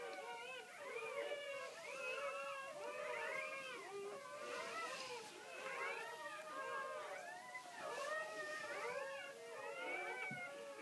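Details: Great Pyrenees litter crying during the birth, many squeaky newborn whines rising and falling in rapid arcs, overlapping in waves that swell and ease every couple of seconds.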